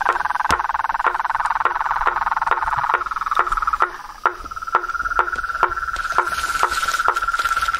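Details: Frogs, toads and treefrogs in the wild: a steady, rapidly pulsed mid-pitched trill runs throughout, punctuated by crisp wooden knocks roughly every half second, with a faint hiss late on.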